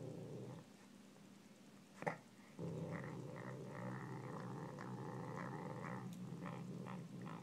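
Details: Pet Savannah cat eating pork gives a short low growl, a sharp knock, then a longer steady rumbling growl with a buzzy upper edge that runs to the end.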